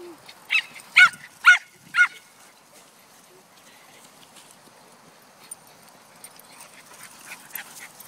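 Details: Cesky, a female pet dog who loves being chased, gives four sharp, high yapping barks in quick succession over about two seconds, then falls quiet, with faint rustling and distant background noise afterwards.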